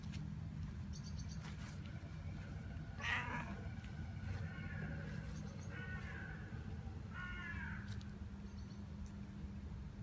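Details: A tabby cat and a large tuxedo cat at rest; several meows in ten seconds, one sharper and brighter, the others softer and drawn out, against a constant low hum and light clicks.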